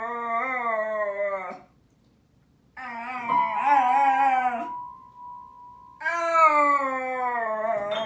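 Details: Welsh Terrier dog playing the piano, which it wants to do several times a day, and howling along; three long wavering harmonic howls of about one and a half seconds each, with a sustained piano note ringing in a pause.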